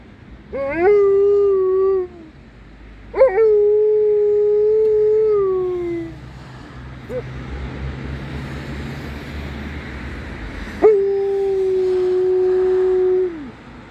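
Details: Female Alaskan Malamute singing with three drawn-out howls, each starting with a quick upward swoop, holding a steady tone for one to three seconds, then dropping off, with quiet pauses between.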